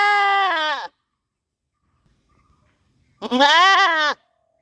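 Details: Loud goat bleats recorded in a village: two harsh, harmonic baa calls under a second each, the second slightly wavering, separated by about two seconds of quiet.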